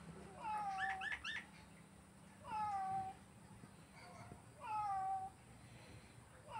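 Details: Domestic cat meowing indoors: three drawn-out, slightly falling meows spaced about two seconds apart, each with a bright tonal core and rich harmonics, over a faint steady background hum.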